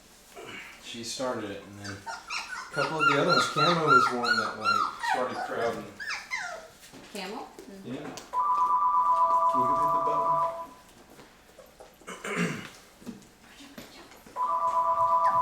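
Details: Mocha's Labrador retriever puppies at 23 days, crowding around their first puppy food; a burst of high repeated whines early on, then quieter squeaks, speech and a steady electronic-sounding tone twice.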